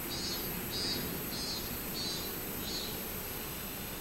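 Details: Robust cicada (minminzemi) singing on 24 July 2016: a steady series of high, buzzy pulses repeated about every half second, five in a row over a constant background hiss.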